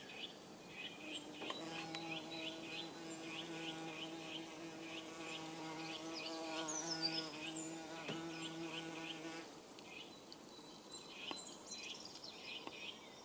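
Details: Saxon wasp building its aerial nest on day one, 16 April 2015. A droning, harmonic hum lasts about eight seconds, then drops away. Quick high bird chirps repeat throughout, with more scattered twittering near the end.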